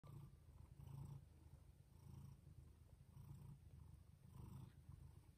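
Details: Jaco, a house cat, purring at home while giving birth to kittens of different colours; deep rumbling purr in steady pulses, swelling about once a second with breaths, indoors and quiet.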